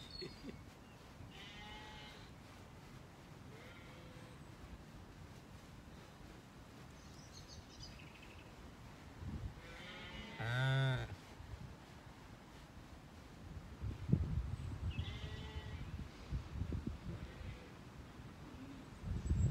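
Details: Sheep, ewes with lambs, calling to one another while grazing among blossoming apple trees on a sunny spring day on an Irish farm in County Kilkenny. One loud, quavering bleat stands out among several fainter distant bleats, with light chirping birds and rustling.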